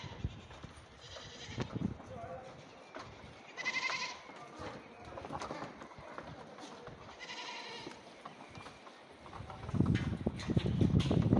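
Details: Goat kids on rocks in Greece bleating: several wavering, harmonic bleats, one near the start and two longer ones about four seconds apart, over rustling, hoof scuffs and a low rumble that swells at the end.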